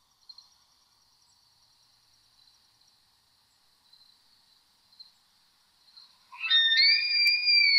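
A bull elk bugles, a faint thin whistle swelling into a loud, piercing high tone.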